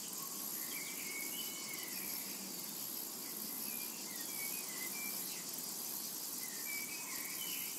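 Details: Meadow in summer with cicadas droning at a steady high pitch in rapid pulses, overlaid by frequent short bird twitters and whistled slurs.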